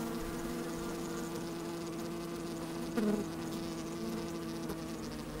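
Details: Honey bees working inside an open hive on a fine, sunny day, microphone slid down among them: a steady low droning hum with layered tones, a brief louder buzz near the three-second mark, light wind.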